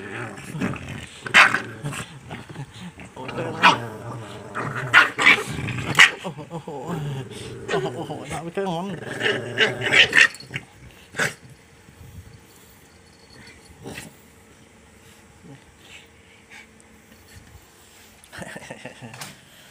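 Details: A Boston Terrier in Thailand growls and yaps in bursts while people talk excitedly nearby.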